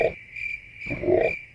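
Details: Frogs in the Amazon rainforest at nightfall give low, rough croaking bursts over a steady high cricket trill in a chorus-like night chorus.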